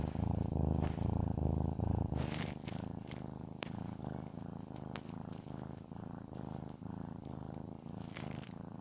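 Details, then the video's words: Shamotra, a domestic cat being petted indoors, purring steadily: a low rumbling purr pulsing in rhythmic bursts, with faint rustling of hands on fur and a few small clicks. "Я глажу кошку, а она мурлыкает. I pet the cat, and it purrs."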